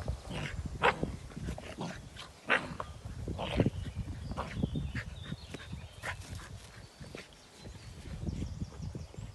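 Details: A Samoyed alone in the garden in the evening, giving three short, rough barks at about one-second intervals, then a fainter fourth, over continuous low outdoor rumble.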